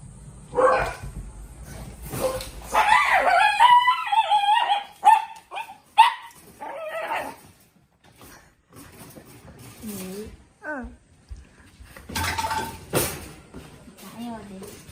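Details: Pug at home among three household dogs, including a black pug and an Italian greyhound, in quiet everyday bedtime footage with no music: high wavering whines, short yips and soft whimpers in bursts, then quieter breathy sounds and rustling.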